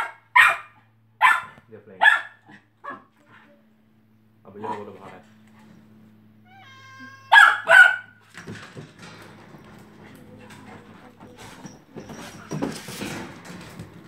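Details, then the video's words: Twelve-week-old Kelpie puppy barking while playing in a pen with a cat: a run of short, sharp barks at irregular intervals, then a double yap, followed by softer scuffling and rustling noises. "Kelpie puppy barking and playing"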